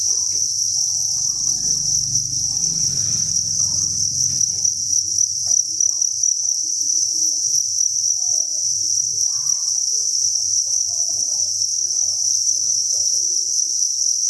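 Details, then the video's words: Crickets massed in a breeding facility make a continuous shrill chirping chorus, fast pulses merging into one high ringing band, while a low rumble and light rustling sit beneath during the first few seconds. "Cricket Chirping Sound"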